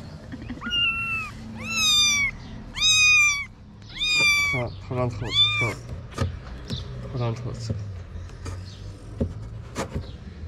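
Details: Kitten among Moroccan street cats calling for its mother as she searches for food; a series of five loud, high arched meows about once a second, then quieter clicks, rustling and faint talk.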